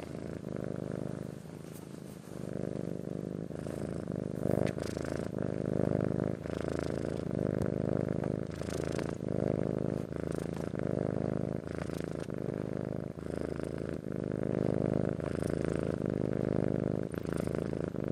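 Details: Persian-Siamese cross domestic cat purring steadily, a low rumbling drone pulsing in long breaths with brief faint clicks and rustles over it.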